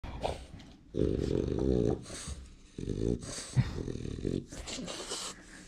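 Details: French Bulldog at home pressing its owner to put his phone away: two long, low, harmonic grumbling growls, each about a second long, separated by short pauses, followed by softer snuffling sounds.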